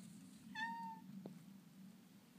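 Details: Little orange tabby cat refusing to be picked on by dogs gives a single short, steady meow, then a brief click over a quiet room hum.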